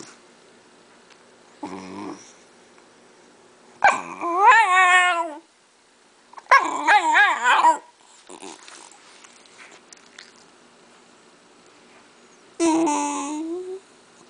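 A Shiba Inu whines in drawn-out, wavering bursts, begging for cheese.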